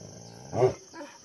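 A Bhotia dog gives one deep, harsh bark, then a softer trailing sound.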